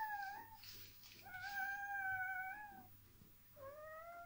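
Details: Dogo Argentino puppies at a breeding kennel during a puppy relaxation technique: faint, drawn-out, steady-pitched whimpers, three long tones with short gaps, over soft background hiss.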